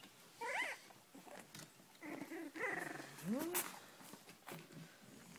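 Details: Young Cavalier King Charles Spaniels from the Sarlat and Chloé litter born 7 April 2014, eager to get out, give several short whimpers indoors: a falling cry early on, then a quick upward-sliding squeal, among rustling and faint talk.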